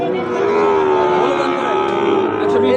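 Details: Drawn-out moo from a Sahiwal bull calf being bought and sold at Ambari cattle market, Bangladesh: a sustained, slightly wavering low tone that lasts nearly three seconds, heard over loud crowd voices and general market bustle.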